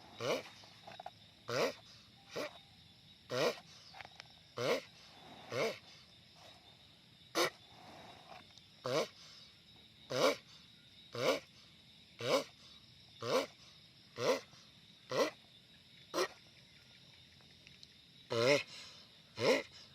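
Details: Sulcata tortoise, described as a giant, calling noisily over twenty seconds: a steady run of about twenty short raspy grunts near one per second, some with a low wavering tone, with a brief pause near the end.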